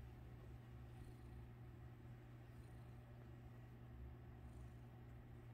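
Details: Domestic cat purring while someone plays with its tail: a soft, steady low rumble that swells and eases in slow breathing cycles, over a constant faint electrical hum.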